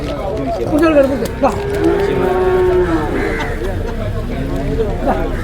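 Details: Cattle at Manjeri market, among cows and young buffalo and bull calves offered for sale; a drawn-out lowing moo with stacked harmonics over busy market chatter and background voices.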